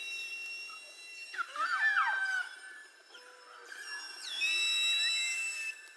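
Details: Underwater beluga whale calls from a study of mother-calf communication, layered steady high tones crossed by swooping descending and rising whistles, bursts of squeaky chirps near two and four and a half seconds, no low-frequency sound.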